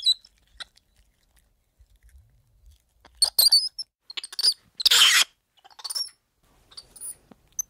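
Spider monkey giving thin, high chirps and a harsh, rasping screech in short bursts.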